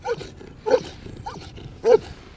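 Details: Male German Shepherd rated excellent in show and performance, working under control in a protection routine, barks three times in quick succession, deep loud harsh barks about a second apart against faint background noise.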